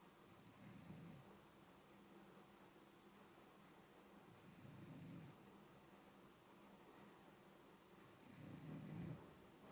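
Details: An older Shiba Inu snoring, its snores louder with age: three deep buzzy snores with a whooshing airy edge, evenly spaced about four seconds apart, in a small quiet room.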